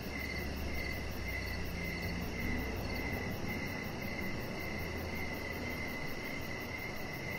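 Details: Outdoor evening chorus of crickets: repeated short high-pitched chirps in a steady rhythm, a thinner upper chirp early on, and a low humming drone beneath the noisy background.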